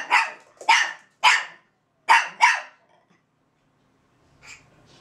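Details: Russian Toy Zora and Belgian Malinois Bazooka conversing at a kennel; five loud, evenly paced sharp barks in quick succession, then near silence with one faint distant yap.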